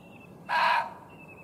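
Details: Alert male muntjac deer in a field, barking toward a watcher behind a hedgerow during a session of nearly constant barking; a single short, explosive, hoarse bark, with a faint thin bird whistle before and after.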